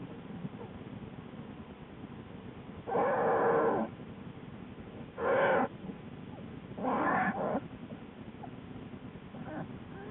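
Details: American black bear Lily in her den with newborn cubs, late evening, February 2013: three loud harmonic bawling calls about a second each, spaced roughly two seconds apart, over a steady low hiss.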